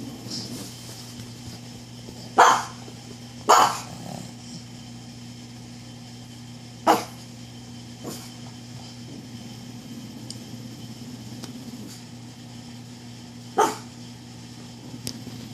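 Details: A dog on the dog steps barks at nothing, with single sharp barks at irregular intervals, two close together early on and a later one after a long pause, over a steady low electrical hum.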